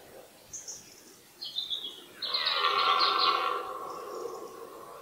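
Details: One drawn-out, rich, harmonic roar from a red deer stag during the 2018 rut, when stags fought. It lasts over two seconds and swells then fades. Short high bird chirps come just before it.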